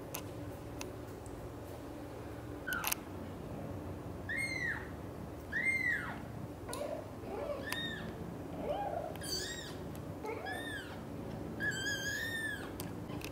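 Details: Blue golden British Shorthair kitten Donut, eager to nap in a shared nest with Xaxa and Piano, gives high, thin, arched meows in a loose series of about six, with soft clicks and indoor rustling between calls.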